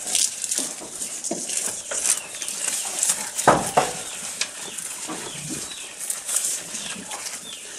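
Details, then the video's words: Close recording of a goat while eating: scattered crunching and tearing clicks in uneven bursts, a sharper cluster of bites midway, over a soft hiss. "Goat Eating Sound"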